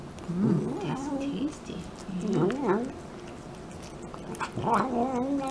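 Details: Cat making vocal noises while eating: three wavering, warbling murmurs, each about a second long, with low humming tones that bend up and down, separated by short quiet gaps.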